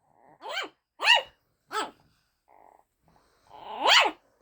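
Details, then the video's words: Pet dog Luna barks at fellow dog Daisy for the first time, a run of four sharp, high barks spaced about half a second apart, the last loudest, with a soft brief sound between them. "Luna barking at Daisey for the first time"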